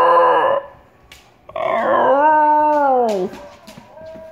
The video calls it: Jager Singing Basenji